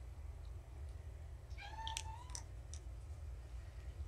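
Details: Young kitten, one of four found abandoned in a box beside a road, indoors during a weigh-in. It gives a single drawn-out, steady meow that bends slightly upward near its end, followed by a faint short chirp, over a low steady hum.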